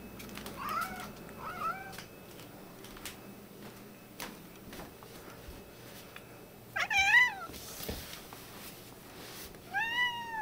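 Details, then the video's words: Domestic cats indoors, including a white one with an attitude, angry. Short clipped meows near one and two seconds, a louder rising meow cluster around seven seconds and another at ten seconds, with clicks and room hum between. "Angry Kitty"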